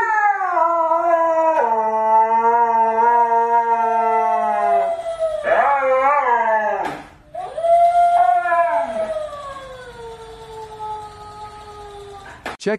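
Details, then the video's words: Siberian Husky howling in upset at a toy; a long rich, steady howl with a lower tone beneath, then a wavering break, a brief pause, and a second rising-then-falling howl fading slowly, a click at the end. "Funny Husky Gets Very Upset Because Toy Is Trying To Take Over"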